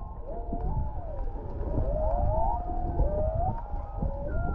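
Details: A humpback whale sings long, wavering moans that rise and fall over a deep rumble, recorded underwater about half a mile away off Canoe Beach, Maui.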